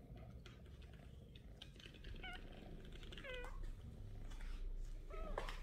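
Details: Pinky, a 28-day-old kitten born to Melania on August 3rd, leaves her nest and runs after her owner, meowing: three high, thin meows with bending pitch, spaced about a second apart over soft room noise.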